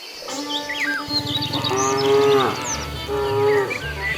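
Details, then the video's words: Cows wandering along a road looking for food: deep drawn-out moos with rich harmonics, two long calls in a row, over background music and bright bird chirps. "Funny cow sounds"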